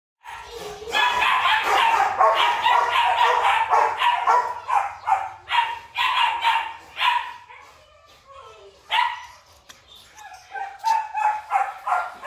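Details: Female Rottweiler at a breeding kennel in Vietnam barking in rapid, repeated bursts, a fast volley for several seconds, then a pause and further spaced barks.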